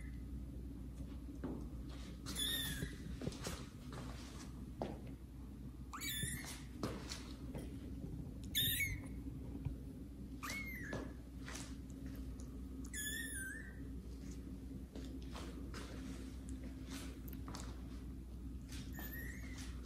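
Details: Kittens Caramel and Zephyr meow loudly as they get acquainted with house cats Kira and Daddy, who watch surprised; about seven high, bent meows with rich overtones repeat every two to three seconds amid light shuffling indoors.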